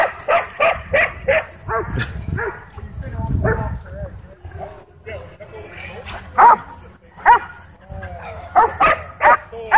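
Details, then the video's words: Dogs at a dog park whipped into a frenzy chasing a DJI Mavic 2 drone; a quick run of sharp barks opens, then scattered single barks and yelps return near the end, mixed with people talking and laughing. "DJI Mavic 2 Drone Whips Dogs Into Wild Frenzy At Dog Park"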